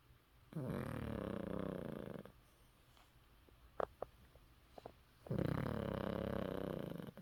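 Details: Fourteen-year-old Maltese named Yeppi snoring with her mouth open, tired after a walk; two long, rough, rattling snores a few seconds apart, each about two seconds, with quiet breathing and faint clicks between them.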